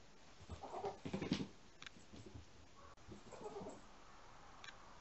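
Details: Rescued kitten wanting to play while an older cat settles down to sleep at home, making 'boo-boo' noises: two short bursts of low, throaty, buzzy grunting calls, then a faint click, in a quiet indoor room.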